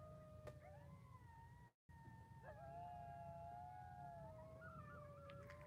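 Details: Distant coyotes howl at Slab City in the desert after about eight hours of rain, several voices overlapping in long, wavering tones over a low rumble of wind.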